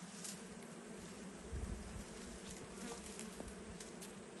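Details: Deep, dense buzzing of wild bees swarming around their hive during a forest honey harvest. A low, even drone continues unbroken for the whole stretch.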